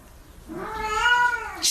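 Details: Domestic cat giving a single drawn-out meow, rising and then gently falling, clear and tonal for about a second, in a quiet room with faint background noise and a brief sharp sound at the end.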